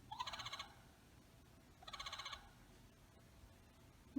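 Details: A tree frog in Rhode Island, a species other than the spring peeper and perhaps a gray tree frog, calls in spring with two short, rapid pulsed trills, each about half a second long.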